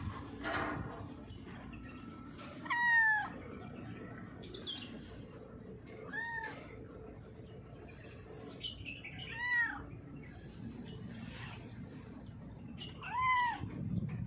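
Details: Female cat, blind in her left eye, hiding under a mixer truck when called; about five clear, rising-then-falling harmonic meows spaced roughly three seconds apart over steady low background rumble.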